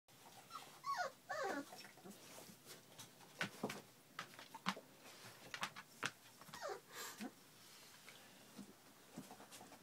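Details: Three-week-old puppies that have just enjoyed their first taste of food, giving a run of short, high whining whimpers and squeaks, some clustered and some spaced, over faint rustling indoors.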